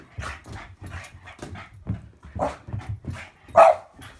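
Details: Boston Bull Terrier playing monkey in the middle with a football: a quick series of short, yappy barks and whiny yelps about twice a second, the loudest near the end, over soft low thuds.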